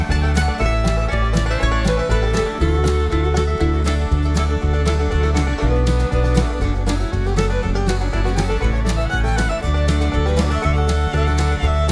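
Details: Upbeat bluegrass music with fiddle, banjo and guitar plays throughout over a steady beat, with no animal sounds.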